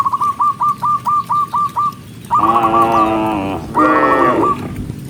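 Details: Herded cows moving along a forest road; a run of about ten quick whistled chirps first, then two rich, drawn-out moos, the second shorter and dipping in pitch at its end.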